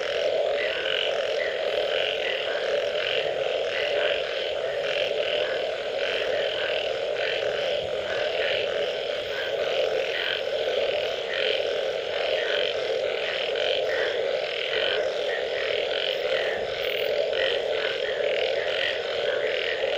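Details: After rainfall, a thick chorus of frogs fills the air, countless overlapping calls blending into a continuous droning wall of sound over a steady hum, with no single caller standing clearly apart.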